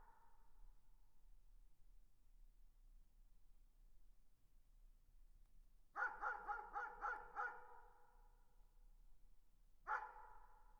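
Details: Distant dog barking: a quick burst of about six echoing barks, then one more bark a few seconds later, over a steady low background hum.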